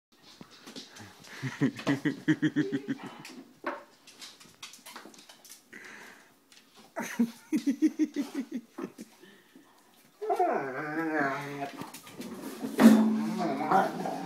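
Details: Rhodesian Ridgebacks indoors in a small room, playing with dog bubbles: bursts of low, rapidly pulsed rumbling growls come at about 1.5 to 3 and 7 to 8.5 seconds, followed by a louder harmonic moaning vocal near the end, with soft breathing between.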